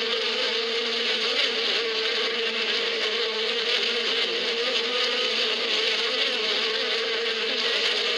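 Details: Springtime bees in the badia, the desert steppe, making a continuous even drone. The low hum holds steady and a wash of high, airy buzzing sits over it, with no pauses and nothing else distinct.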